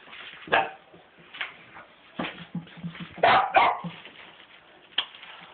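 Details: Pet Cavalier King Charles Spaniel barking because it wants to go out in the car: short, sharp barks come irregularly, about one to two per second, with a quick double bark midway and faint background murmur.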